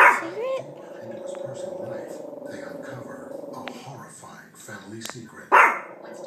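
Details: Yorkshire terrier scared of a picture placed on a couch while moving house: a sharp bark, then a sustained low droning growl lasting several seconds, ending in another loud sudden bark, with people's voices faintly behind.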